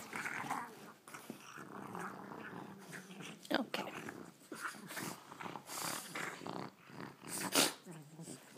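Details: Indoor pet dog, being taunted with a ball by a visiting dog and too tired to get up, growling: rough throaty rumbles in uneven bursts over several seconds, broken by snorts and sharp noises.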